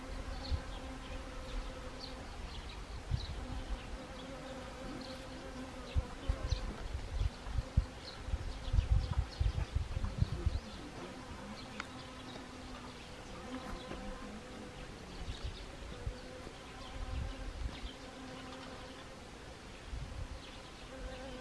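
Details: Honeybees foraging on Siberian chrysanthemum flowers in autumn, Gangwon Province, South Korea, 1 October 2020: a steady droning buzz with layered harmonic bands, several bees overlapping, rising and falling as they pass, with low rumbling wind-like noise.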